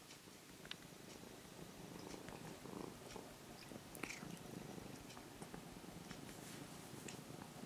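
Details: Tame orange-and-white former stray kitten, cared for half a year near a house, purring softly as it is petted; a faint continuous low throbbing with occasional small clicks and rustles from handling.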